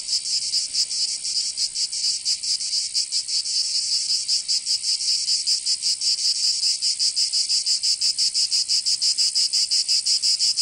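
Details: Cicadas in a southern French summer, Provence: high-pitched rattling buzz, pulses blurred at first then sharpening into distinct rhythmic throbs near three per second toward the end.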